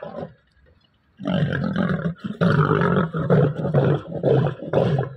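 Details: Bengal tiger held by an animal trainer roaring loudly: a short burst, a pause, then a long run of deep, harsh, pulsing roars that barely break over four seconds.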